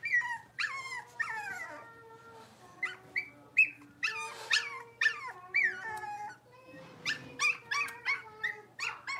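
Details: A litter of five blenheim Cavalier King Charles Spaniel puppies at play in a home puppy pen; long high whines sliding downward, interrupted by short squeaky yips in quick, uneven bursts, with a faint steady hum underneath.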